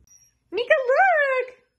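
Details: Siberian Husky indoors making a single wavering, talking-like howl of about one second, pitch rising then falling, after a person asks it to share some food.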